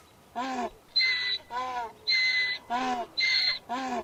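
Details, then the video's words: Donkey braying in a rhythmic hee-haw, alternating a squeaky, whistle-like high intake with a lower, harmonic, slightly falling exhale, each phrase about half a second, repeated several times. "Donkey, Donkey Sounds, Donkey Sound Effect ( Donkey Sounds Effect, Donkey Call, Donkeys Voice )"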